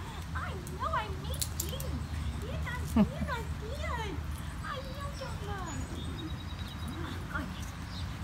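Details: Goldendoodle Henni reunited with her owners, with dog trainers in Texas, Ohio or Kentucky: a steady run of high rising-and-falling whines, several each second, over a low hum, with a soft affectionate voice.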